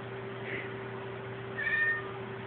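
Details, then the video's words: Pet cat Krystal calling toward the television unprompted, giving two meows: a short faint one, then a longer, louder, level meow, with a steady background hum throughout. "Krystal meowing at the TV (for no reason)"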